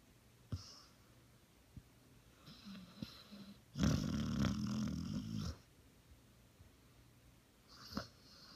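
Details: Sleeping puppy in a quiet room. Faint breathing and small clicks lead to one loud, rough, buzzy snore of almost two seconds. Then it falls quiet, with another soft breath near the end.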